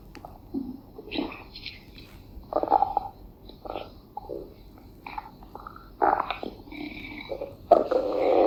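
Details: A deer's stomach growls in irregular gurgles and squelchy rumbles while it has its rump scratched.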